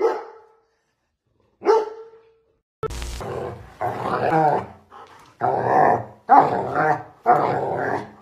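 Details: German Shepherd dog in a funny home moment: two short, sharp barks a second apart, then a thump followed by a run of loud, rough, grumbling vocal bursts mixed with people's voices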